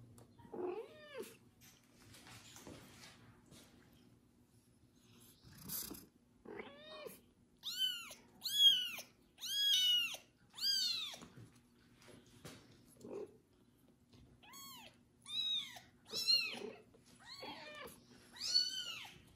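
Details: Loud kitten Kubik calls insistently after his first bath as a pregnant foster cat licks him clean; piercing arched meows tumble out about once a second, many in close runs, in a small quiet room.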